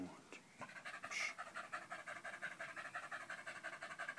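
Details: A dog called Danco, pressed against someone's leg on 05.08.2013, pants hard right after a man's calm words; quick regular breaths of about three per second follow a short soft noise at the start.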